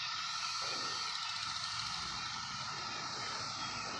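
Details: Dense, unbroken hiss of a 17-year cicada chorus among fruit trees, a steady droning hum running through the wall of insect noise.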